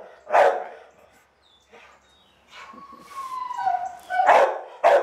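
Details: Pet dog giving a few short barks and a drawn-out whining, descending vocal sound, then two sharp barks at the end, with a person talking to it nearby.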